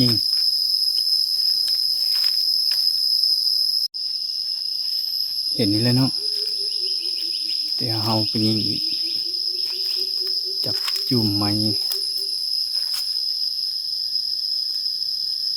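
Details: Cicadas in forest near Atsaphone, Savannakhet, Laos, heard while people hunt them with slingshots: a steady, piercing high-pitched drone running throughout, with brief bursts of a man's voice and a sharp click.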